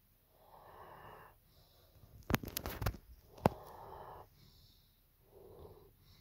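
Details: Evo, a German Shepherd, snoring during a nap: soft, breathy rasping breaths about a second long, spaced two to three seconds apart, with a brief cluster of sharp clicks and rustles between them in a quiet room.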